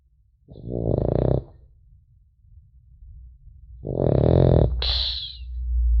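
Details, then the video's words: French Bulldog puppy asleep indoors, giving two rasping, low snores about three seconds apart, followed by a brief higher wheezy whistle at the end of the second breath. "Храп щенка французского бульдога"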